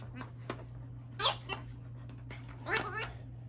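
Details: Pet dog freaking out indoors over a giggle ball toy: short, high, sliding whine-yelps, with two louder bursts about one and a half seconds apart, over a steady low electrical hum in a small room.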